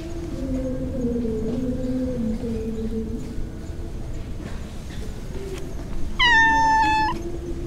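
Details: Stray mackerel tabby cat strolling through a park in the middle of a city, lingering by the path. A single clear meow lasting about one second, steady in pitch and rich in overtones, follows low sustained tones and faint rustling.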